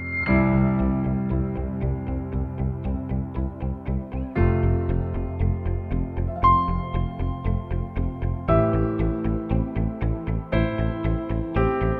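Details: Steady ambient instrumental music with guitar and keyboard chords pulsing in regular beats fills the whole stretch, with no animal sounds.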